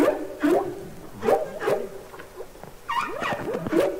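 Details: Humpback whale singing underwater, from the Capitol Records ST-620 recording: a quick series of short swooping tonal units, rising and falling whoops with harmonics, some bending upward and others curling down, separated by brief pauses.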